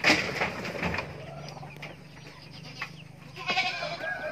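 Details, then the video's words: Young goat kid with a loud, rough bleat at the start and a shorter, harsh bleat near the end, separated by a quieter stretch of low farmyard background noise. "anak kambing lucuu..."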